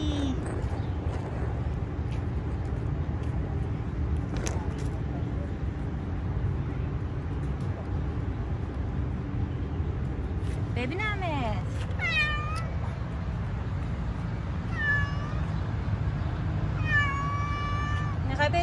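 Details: Three-legged stray street cat being petted, giving a series of short, wavering meows in the second half, some rising then falling, over a steady low rumble of traffic and a person speaking softly.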